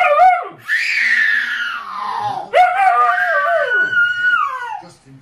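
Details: Alaskan Malamute near babies, protecting and playing with them, giving two long drawn-out howling calls that rise and then slide downward, each lasting about two seconds, loud and close.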